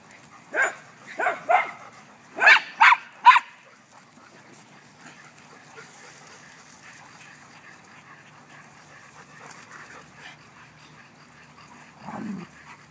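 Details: Dogs at play in a backyard give six sharp barks in the first few seconds, then a long quiet stretch with faint background sound and one lower, softer call near the end.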